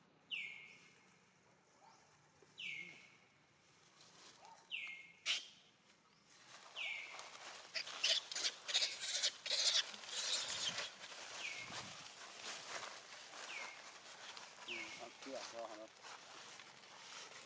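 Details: Abandoned monkey giving piercing, downward-sliding screams, repeated about every two seconds at first. A burst of rustling and handling noise fills the middle, then more thin, falling cries follow, with faint voices nearby.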